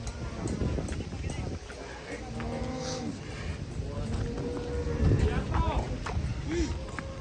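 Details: Cattle coming down from a truck, lowing in drawn-out moos over a busy background of voices and music, with a short upward-curving call near the end.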